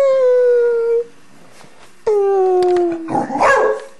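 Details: Female pet dog howling while playing around: two sustained, slightly falling tonal howls of about a second each, separated by a short pause, ending in a rougher, broken yelp. An owner's voice coaxes her just before.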